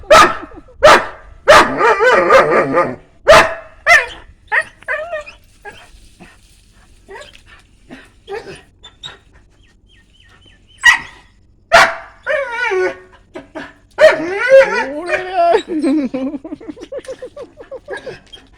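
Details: A dog gives loud, broadband barks, clustered early and again near the twelve-second mark, mixed with whining, wavering yelps and softer vocal noises.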